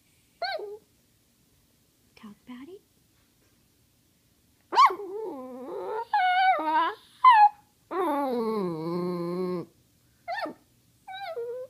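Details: Cody, a pet dog, vocalizing to ask for treats: short yelps, then drawn-out wavering, whining howls that rise and fall in pitch like talking, separated by brief pauses.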